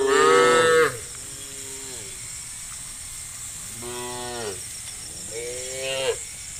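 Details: Tame cows lowing while being led as a herd along a country road to a farm: one loud drawn-out harmonic moo opening, followed by two softer, lower moos, with steady insect buzzing throughout.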